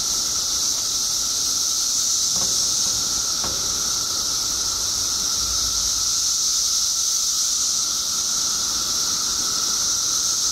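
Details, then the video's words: Periodical cicadas in a mass emergence after 17 years underground, Illinois: an unbroken high-pitched droning chorus with a steady lower whine beneath, and two faint clicks partway through. "Billions of Periodical Cicadas Emerge After 17 Years Underground Cicadas Making Noise"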